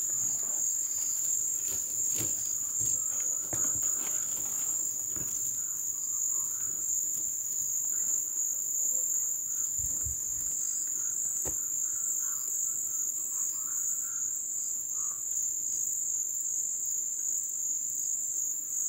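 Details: Ebb-season crickets in a jungle wetland keep up a continuous shrill high-pitched drone, while faint knocks, ticks and soft low rumbles from the surroundings come and go.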